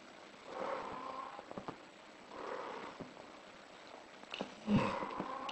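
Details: A British Shorthair in heat gives three short, moaning mid-pitched cries spaced about two seconds apart; the last is louder and sharper, with soft thumps and shuffling indoors.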